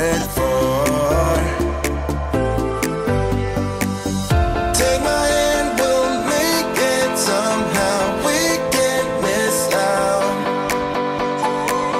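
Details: Upbeat pop-style music with steady rhythm fills the whole stretch; no animal sound is heard.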